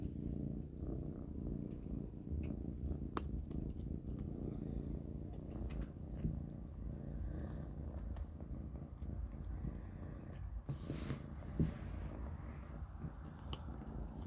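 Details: Three kittens, Panda, Grayie and Goldie, eating cat kibble for dinner indoors; a steady low rumbling purr runs throughout, dotted with sharp crunching clicks of chewing, a few louder bursts near the end.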